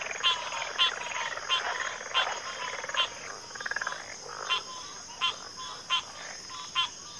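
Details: Frogs calling in a backwater chorus that includes pig frogs and water frogs: loud rasping croaks roughly every half second to second, some with a rapid pulsed rattle, over a constant high-pitched background drone.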